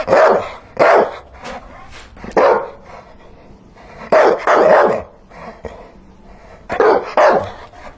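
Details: A dog barks in pairs and clusters of sharp, mid-pitched woofs, roughly every second or two, with quieter gaps between bursts.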